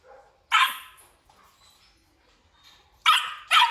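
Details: Belgian Malinois dogs, black and red-black coated males at a breeding kennel in Vietnam, giving a few loud, harsh barks separated by a quiet gap of about two seconds, with a final pair of barks close together.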